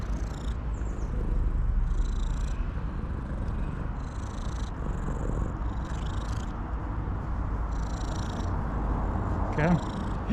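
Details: Street cat purring steadily and happily while shaking its tail on seeing the person who feeds it, a continuous low rumbling throughout, with soft chirping noises above and a brief call near the end.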